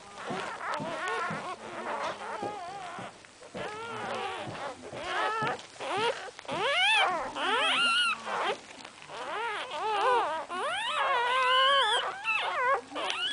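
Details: Cocker Spaniel. A litter of newborn Cocker Spaniel puppies gives rising and falling whines and squeaks, several voices overlapping. The cries come in short, quavering bursts, some sliding upward, with soft rustling between them.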